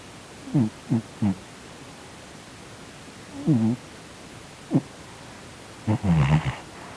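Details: Twitching in his sleep, the chubby house cat Sonny, a Korean shorthair, makes a series of brief low snorting grunts: three quick ones, a pause, a longer wavering one, another single grunt, then a harsher, noisier snort.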